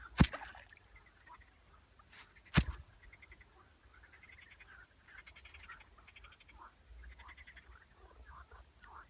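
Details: Frog giving short, buzzy pulsed calls, each a rapid rattling train repeated several times in the second half, fairly faint; two sharp loud knocks sound near the start.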